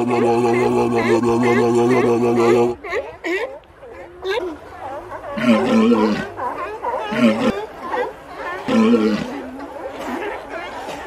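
A sea lion gives a long, wavering, hoarse roar, then a series of short honking barks.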